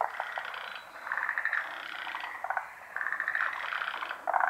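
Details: Large chorus of frogs calling unseen around a pond: dense overlapping trilled and rattling notes, swelling in waves with brief quieter gaps between bursts.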